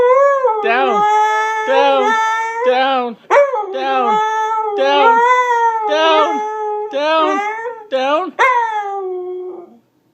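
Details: Siberian husky named Avalanche howling in protest at a command to get down, indoors; a run of harmonic, wavering howl-talk notes, each rising then falling, about eight in ten seconds with brief sharp yips between.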